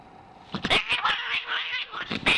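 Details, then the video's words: An angry cat gives harsh, noisy bursts of hissing and spitting mixed with short strained yowls, several sharp outbursts in quick succession after a quiet start, indoors. "VERY angry cat!!"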